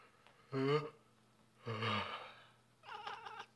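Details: A male Balinese cat, who dislikes people sneezing, gives two drawn-out, wavering meows and then a shorter, choppier one, sounding annoyed.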